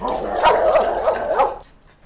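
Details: German Shepherd described as aggressive toward other dogs, giving a rough, harsh barking burst lasting about one and a half seconds with several pulsed peaks, then fading to quiet.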